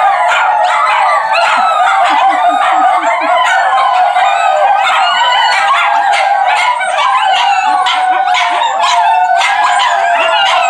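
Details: Several Miniature Schnauzers howling together in a loud, continuous chorus of overlapping wavering high yowls and yips, voices rising and falling and broken by sharp yelps throughout.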